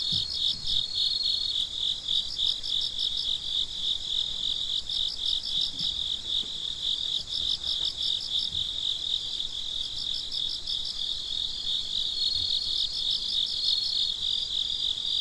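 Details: Night-time crickets around midnight, a continuous piercing trill plus rhythmic groups of rapid chirps from more than one insect, groups starting and stopping irregularly across the stretch; calm otherwise.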